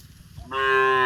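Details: Cow walking on cobblestone streets in India; after a quiet moment a strong moo bursts in, rich in stacked harmonics and held evenly to the end, with faint low street rumble beneath.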